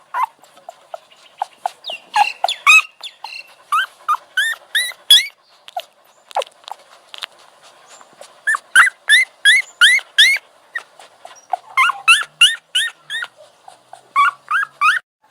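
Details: High-pitched puppy whines come in uneven bursts of quick, arching yelps. Brief lulls separate the bursts, and the dense cries pick up again near the end over a faint background hum.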